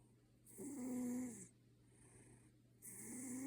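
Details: Sleeping ginger Maine Coon snoring like a person, two drawn-out rasping snores with a thin whistle in them, separated by a quiet pause, steady low hum behind.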